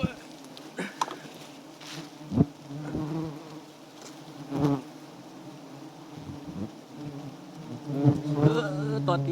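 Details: Wild giant honey bees at a small nest with white comb and plenty of honey. They give a low, steady droning buzz with a hum band that wavers, broken by bursts of handling noise and rustling.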